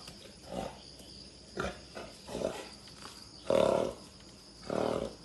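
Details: A wild boar, after a python wandered into its territory and was killed, gives harsh, rough grunts in short bursts about once a second, with hiss in the background.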